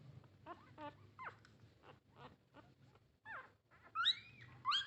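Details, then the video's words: Young puppies from a litter of nine asking their mother for milk, giving scattered thin squeals and short rising-falling whines, ending with louder drawn-out cries, over a faint low hum. "the sound of a puppy asking its mother for milk"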